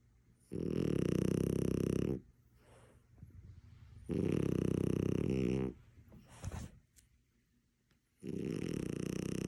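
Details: A sleeping French Bulldog snores indoors while someone sneaks up on it: three loud, rasping, droning snores, each about one and a half seconds long and spaced three to four seconds apart, with soft breathing in between.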